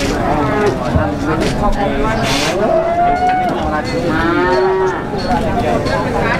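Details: Calves at the Plaosan cattle market, Magetan, Java, giving clear moos: a long level call near three seconds and a rising, then falling bawl just after, with market voices and clatter behind.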